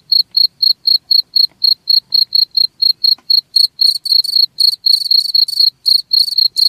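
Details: Chirping cricket meant to repel rats: clean short high pulses in an even series roughly four a second, turning denser and buzzier halfway through as a second voice seems to join.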